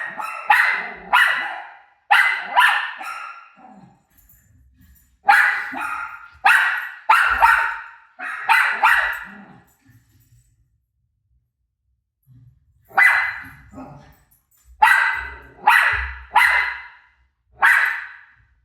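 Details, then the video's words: Rosie, a pet dog, barks at her own barking playing on TV; sharp loud barks come in bursts of two to four, with pauses between groups and a quiet gap near the middle. "Crazy Rosie Barking At Her Barking Self On TV"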